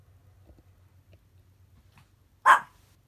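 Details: Chihuahua lying in bed on watch, barking at unusual road construction noise outside; one short sharp bark near the end after quiet with a low steady hum.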